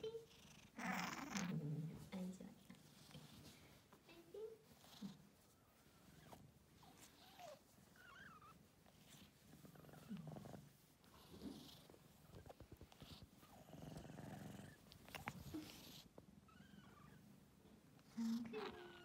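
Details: A pet cat purrs in a deep, rapid, throbbing hum that carries through the passage, overlaid by frequent human chatter and occasional thumps.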